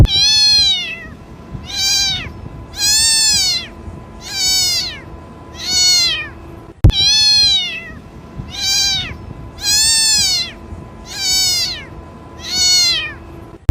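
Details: Kitten calling its mother: two runs of five high, rise-and-fall meows, each meow under a second long, split by a brief click.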